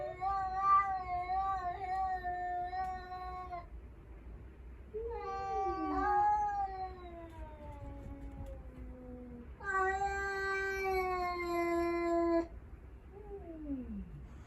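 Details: Encounter between five rescued cats and a stray, with the only male bravely confronting it; three long, harmonic caterwauls, pitch sliding down within each, closing with a short descending wail.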